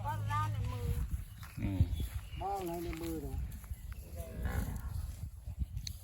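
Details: Charolais heifers being delivered, including first-calf Charolais and 50% Charolais beef cattle, lowing with deep harmonic moos: a long call at the start and others near two and three seconds, over men talking and farm background noise.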